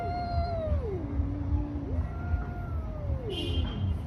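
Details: A street cat in a fight moans a long yowl that drops into a low growl, then rises and falls again; steady low rumble behind and a brief hiss-like noise near the end.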